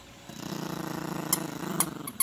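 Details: Yorkshire Terrier puppy growling while playing with its owner and a dog toy indoors; a steady low rumbling growl pulsing rapidly for about two seconds, with a few sharp clicks near the end.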